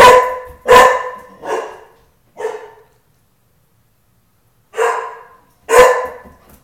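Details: Tukoma the dog barks protectively at the house door: four quick, rough barks in under three seconds, a two-second gap, then two more forceful barks in an indoor setting.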